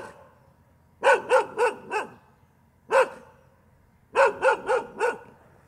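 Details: Dog barking continuously: a burst of four sharp barks, a single bark, then another run of four, each bark punchy with strong harmonics and quick spacing, quiet gaps between bursts.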